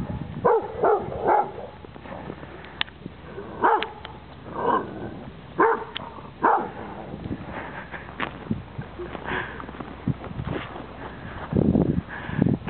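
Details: Female Cane Corso meeting her first snowman at Greenlake, Seattle, on 23 November 2010, giving loud deep barks in clusters every second or two, while a man eggs her on to get the snowman.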